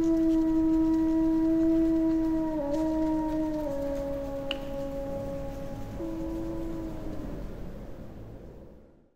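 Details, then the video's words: A small pack of Eurasian wolves in the Finnish taiga gives sustained chorus howls, two voices overlapping in long level tones that step down slightly in pitch, then fade out near the end. "Wycie wilków europejskich (Canis lupus lupus) / Wolves howling"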